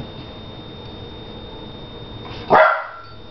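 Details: A single short, sharp dog bark rises abruptly near the end after a steady low background hum, then cuts off quickly.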